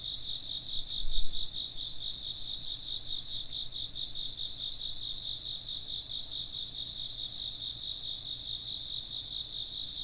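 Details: Insects chirping together in a bright, unbroken wall of high trills that pulse quickly, with a short soft bump of low sound near the start.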